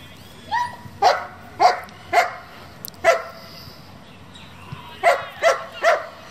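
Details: German Shepherd, a working-group dog bred for competition, barking in short, sharp single barks about half a second apart, a pause, then a final run of three barks.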